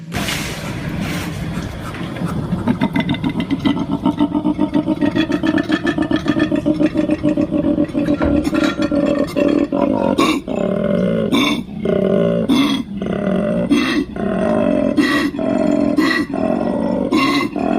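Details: Male koala bellowing its mating call: a long run of deep, rasping, snore-like pulses, roughly forty-eight a minute. Later, the pulses are broken by harsher, louder belching bursts, and the low grinding continues steadily throughout.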